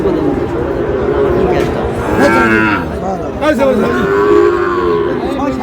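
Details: Sahiwal bull calves at a cattle market bought by a Dhaka farmer, 16 July: drawn-out, harmonic lowing moos rise above a dense crowd of bargaining voices and shouts.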